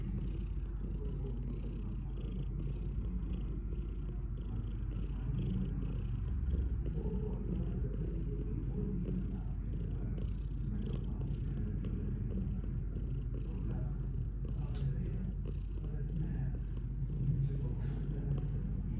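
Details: Continuous deep purring from a house cat, a rough low rumble sustained throughout with regular breath-paced pulses and a few soft clicks and rustles.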